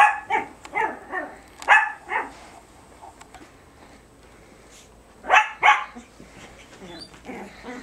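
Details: Two Biewer Terriers at play in a tug-of-war game with a hair accessory, March 2008: a run of sharp, repeated barks at the start, a quiet gap, then two loud barks near the end.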